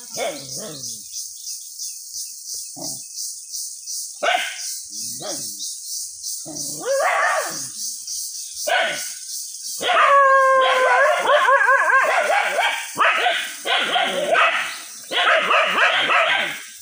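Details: Dogs in a Bangladeshi village jungle edge barking at a monitor lizard emerging again; scattered single barks at first, then a dense, overlapping volley of loud barks from several dogs, with a constant high-pitched hiss behind.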